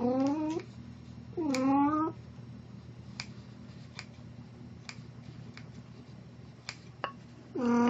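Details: Plan, a house cat dressed as Snow White on April 1, 2017, gives two short downward-sliding meows, then another begins at the end. Light taps and clicks sound between them over a steady indoor hum.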